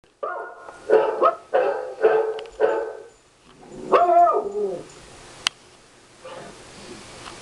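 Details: Three pet dogs, a black and white one named Travis, a beagle named Lucy and a small fat one named Rusty, react at home to played dog barks: four loud sharp barks, then a wavering drawn-out yelp fading into quiet.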